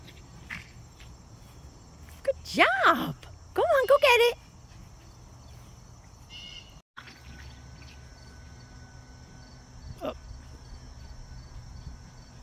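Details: Yorkshire Terrier pup named Rylie playing outdoors with a giant ball, giving two bursts of high, sliding yelping barks near the start, then one short yip later; a person encourages her and a steady insect-like hum runs underneath.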